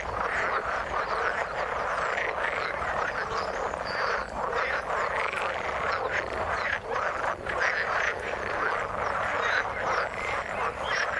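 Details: A long stretch of frogs calling in the water, a thick, continuous chorus of rasping croaks with short, sharp clicks scattered throughout.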